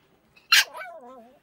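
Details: Pomeranian puppy talking back to its owner indoors: one sharp, bright bark that slides straight into a wavering, whiny vocal tail lasting under a second, with people talking just before and after.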